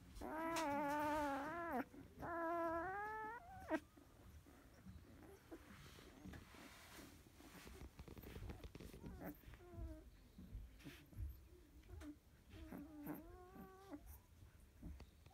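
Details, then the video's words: Field-type Labrador Retriever puppy, 16 days old, dozing after nursing: two long, drawn-out whines open, followed by soft snuffling and breathing, then a few brief, quieter whines near the end. "Labrador puppy 16days old!"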